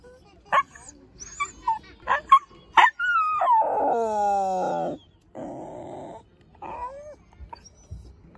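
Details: A dachshund (teckel) howling. Several sharp yaps come first, then a long, tonal howl rich in overtones that wavers and slowly falls. A second, flatter howl follows, and a short rising whine closes the sequence.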